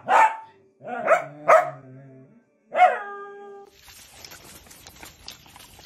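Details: {'text': 'Miniature dachshund playing, four sharp barks, the later ones trailing into ringing tonal yelps, then giving way to a low hiss of background noise.'}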